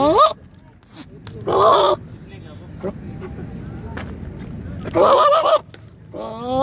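A goat gives loud, wavering bleats in short bursts, separated by quiet pauses.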